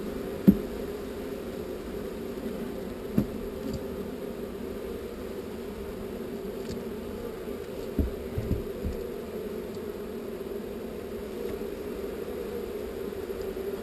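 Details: Honey bee swarm being relocated from an undesired location, giving a steady, dense low hum that holds evenly throughout, with a few sharp knocks and taps scattered over the drone.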